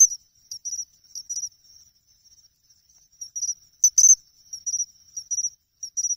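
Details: August pine cricket by an Ehime pond in Japan, chinchirorin song: short, high, ringing chirps repeated in quick pairs and small groups, with a louder clicking burst near the fourth second and near silence between.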